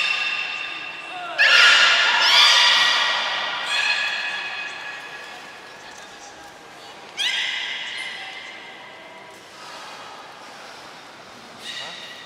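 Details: Captive beluga at Port of Nagoya Public Aquarium during its morning health check, before the 11:00 public training, 19 May 2021; stacked harmonic whistles with upward sweeps burst near the start and again around seven seconds, fading afterward, in a reverberant hall.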